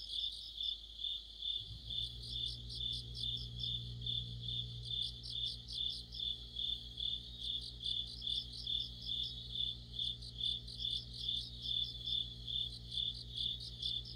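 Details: Crickets and other insects chorusing in deep autumn, by a streetlight: a steady high trill with pulsing chirps layered above, swelling roughly twice a second, over a low constant hum.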